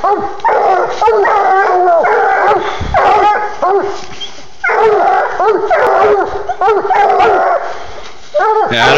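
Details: Bluetick Coonhounds, a 10-month-old male and a 20-month-old female, baying at night on their first tree together after running a live raccoon 700 yards up a side hill into hemlocks; loud, repeated, ringing bawls overlapping, with a man's voice praising them.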